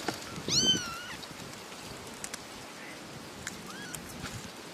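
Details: Three little kittens, one meowing loudly: a strong harmonic meow that rises then falls near the start, then a fainter short meow a few seconds later, with light clicks and rustling in between.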